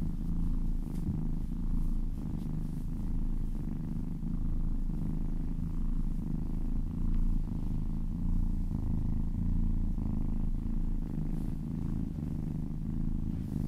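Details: Close, continuous purring from a kitten during a massage: deep throbbing rumble rising and falling with each breath, faint soft rustles over it, recorded indoors.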